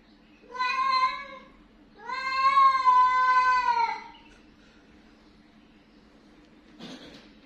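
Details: An angry, grumbling pet cat gives two drawn-out, harmonic-rich meows, the second longer and louder, followed by a short scuffling noise indoors, with a faint steady hum behind.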